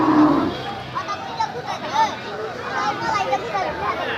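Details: Cattle at a crowded Eid al-Adha (Qurbani) cattle market filled with big cows: a short, low, steady moo opens the recording, then gives way to constant crowd chatter and men talking.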